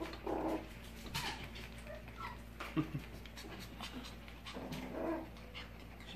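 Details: Five-week-old Havanese puppies indoors around feeding time, giving soft high whimpers in short bursts, scattered between quiet panting and light scuffling, with a faint room hum beneath.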